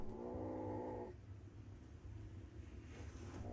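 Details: Kitten, one of several that came to a house for shelter, meowing at a person: a single drawn-out, harmonic meow lasting about a second, followed by quiet low rumbling background noise.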